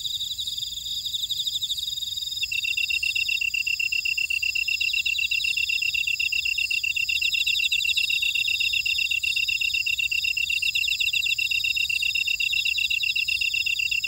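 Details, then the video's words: Night-field insect chorus from a buckwheat field in Ora-dong, Jeju City, South Korea: high layered trilling, with a fast pulsed chirper joining after about two seconds and carrying on steadily to the end. "제주 메밀밭의 풀벌레 소리 (Sound of a buckwheat field)"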